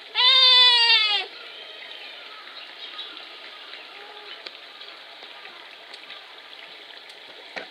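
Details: Young male Himalayan tahr named Lhotse, born 6 July 2019, at Tama Zoological Park, filmed 30 October 2021 while toppling a log; one loud goat-like bleat with rich harmonics lasting about a second, then quiet rustling.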